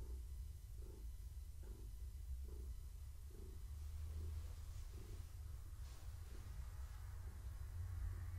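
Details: Steady low purring from Gaia, a long-haired tabby housecat heavily pregnant and enjoying evening strokes and scratches; a continuous deep rumble swelling with every breath about once per 0.7 seconds, no other sounds.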